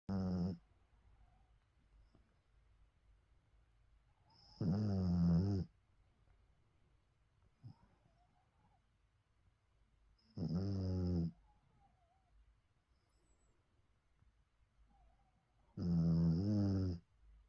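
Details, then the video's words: Bichon Frise dog snoring while napping: four deep, rasping snores, each about a second long with a harsh rattling tone, spaced roughly every six seconds, with quiet pauses between them. "코골며 꿀잠 중인 비숑 깨비의 힐링 타임 💤🐶 Snoring Bichon Kkebi Enjoying a Cozy Nap"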